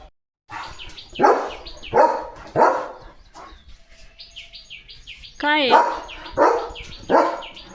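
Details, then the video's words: Leo the German Shepherd, guarding his home at the gate, barks repeatedly in loud gruff bursts while small birds chirp thinly in the background and a brief rising whine-like tone cuts in midway. "दिवस-रात्र गेटसमोर उभ राहून Protect करतो Leo The German Shepherd | घराचा खरा रक्षक"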